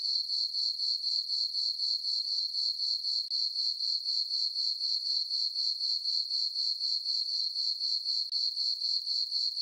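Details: Crickets chirping on a peaceful summer night in a farm meadow under a full moon; a steady, high ringing trill pulsing about four times per second, even and unbroken, with no other sounds.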